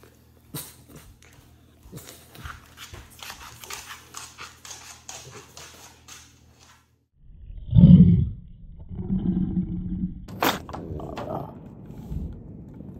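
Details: French Bulldog afraid of a procedure indoors; after several seconds of soft clicks and handling noises, deep rumbling growls and groaning bursts begin, loudest around the eighth second, then continue in lower grumbles.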